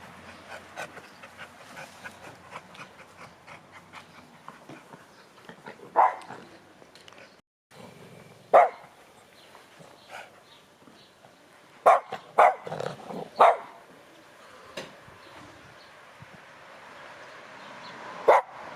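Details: A female Cavalier King Charles Spaniel, urged to "speak", gives a few sharp, scattered barks between quiet stretches, with a person speaking nearby.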